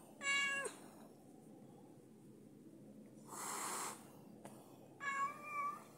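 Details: A female house cat, displeased at another cat at the door, lets out a short breathy hiss mid-clip, set between drawn-out, tonal meow-like wails at the start and end; quiet indoor background.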